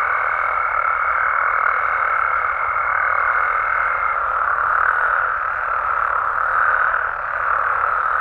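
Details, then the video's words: Night chorus of frogs and toads in Mexican amphibian habitat, a constant blended drone of many callers, topped by a clear steady high tone during the first four seconds. "Mexican Frogs & Toads Sounds"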